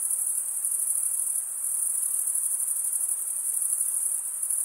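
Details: Crickets chirp by stridulation, males scraping a comb-like wing vein across the opposite wing. The result is a continuous high, finely pulsed trill that briefly softens once midway, then resumes at full strength.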